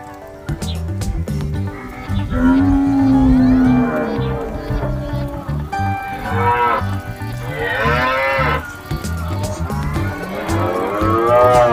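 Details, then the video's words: Calf mooing several times over steady background music, with drawn-out, wavering lows, a long steady tone near the start and higher, strained bleating moos later. "Video Anak Sapi Dengan Suara Melenguh"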